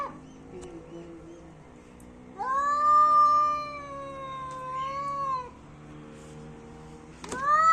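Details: Fighting cat, angry, gives a long wavering yowl of about three seconds, dipping and rising slightly in pitch, then quiet background before a sharp rising cry starts at the very end.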